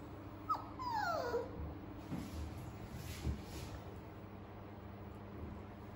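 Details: Toy poodle on its first vet visit, before its shot, frightened: a brief high whine sliding downward near the start, then faint shuffling and room noise with a steady low hum.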